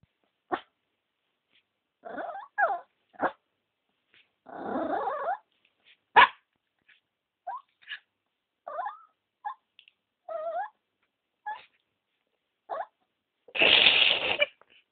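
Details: Pet female dog making strange noises: short broken whines, yelps and groaning calls in scattered bursts, some wavering and rising, with a loud harsh burst near the end; otherwise quiet between sounds.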